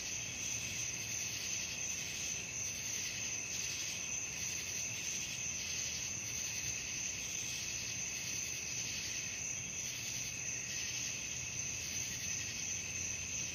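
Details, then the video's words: Night chorus of crickets, a continuous shrill ringing trill layered in several high bands, swelling and fading slightly every few seconds, with soft low rumble underneath. "suara jangkrik malam"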